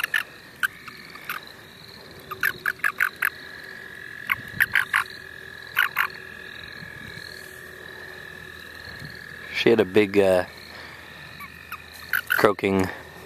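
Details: St. Olaf College Natural Lands frogs give short, high clicking pulses in quick bunches, repeated every second or so over a faint background chorus, with brief human voices near the end.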